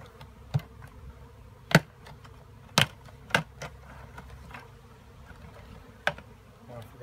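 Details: Bees humming in a steady low drone, with several loud sharp knocks or taps scattered through it, around two, three and six seconds.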